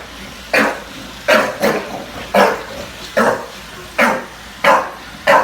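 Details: A bulldog indoors in New York City barks at a robot vacuum cleaner. Eight short, gruff barks come at uneven intervals, some in quick pairs, about two every second at their fastest.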